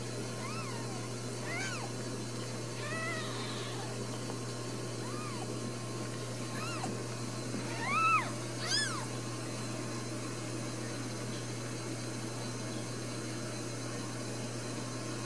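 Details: Newborn Ragdoll kittens in a central Kansas home cattery mew repeatedly in the first ten seconds: short arched cries, some doubled, a louder pair near eight seconds, then quiet with only a steady hum remaining.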